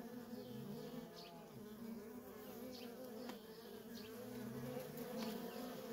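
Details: A constant stream of worker honey bees around their feral nest, producing a rich, unbroken buzz, with a lower droning bee sliding past twice beneath the main hum.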